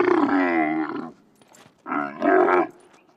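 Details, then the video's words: A camel in the desert gives two deep, rough, rumbling groans, the first about a second long, the second shorter and rising in force, with a quiet pause between. "Sunete de camila.Cum face camila?Ce sunete scoate camila?"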